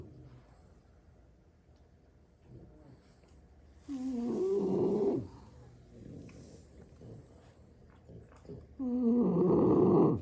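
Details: Sleeping French Bulldogs, six siblings dozing on the floor after play; heavy guttural snores over a second long recur about every five seconds, the last the strongest, with faint wheezy breaths between.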